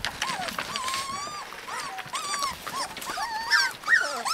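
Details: Husky puppies in Lapland, a chorus of high, wavering whines and yelps rising and falling in overlapping strands, several pups calling at once with squeaky upper notes.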